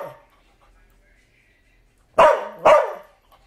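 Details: After a faint trailing sound and near silence, the dog Bumba lets out two quick, loud, raspy barks about half a second apart.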